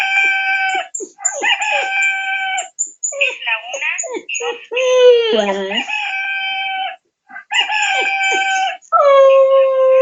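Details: Chuchu the Cocker Spaniel howls in a run of sustained tonal notes, some held level and one wavering and dipping in pitch, with short breaks between them and a final long, lower, steady note.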